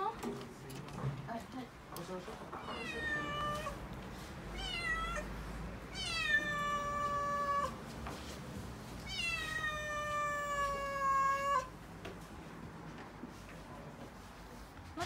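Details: Panicked calico kitten, six-month-old female Mikene, wails indoors in Okinawa as delivery men arrive with a new fridge: three long, loud, slightly falling meows spaced a few seconds apart, with faint room noise and brief speech.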